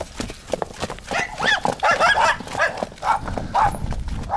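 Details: A stallion kept with a mare gives harsh, quavering whinny bursts from about one to two and a half seconds, then shorter broken calls, over a steady clatter of hooves.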